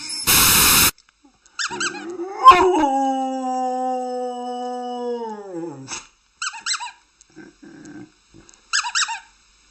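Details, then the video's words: A dog gives a long, steady howl-like whine lasting about three seconds that slides down in pitch at the end, followed by several short yelping bursts; a sharp burst of noise opens the recording. "Funny Dog Sounds And Barks"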